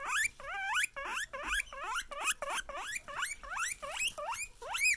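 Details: Excited guinea pigs wheek at the sight of a person, giving loud, long rising whistled squeals, roughly two per second, each climbing steeply in pitch with bright overtones.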